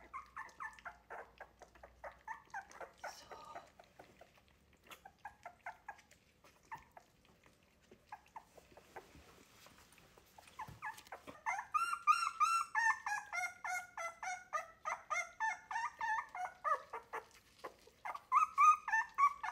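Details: Three-week-old Wire-haired Miniature Dachshund puppies fussing during a first feeding away from their mother; softer scattered whines at first, then a loud, fast, continuous chorus of high yelping cries in the second half.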